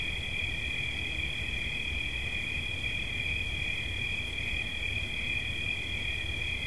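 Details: A cricket sings a constant, even, high-pitched trill in two parallel tones, never stopping, with faint low-frequency rumble behind it.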